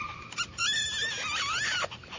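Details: A small female white-and-sable Papillon puppy gives a high, wavering whine that rises and falls for over a second, then ends in a short yelp, with a person softly coaxing nearby.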